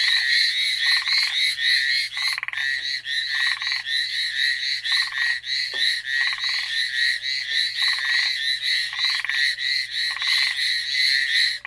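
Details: Frog chorus on Amami Island: a dense, continuous wall of rapid, high, rasping pulsed calls from many frogs, with lower bursts of buzzy pulses breaking in about every second, loud throughout.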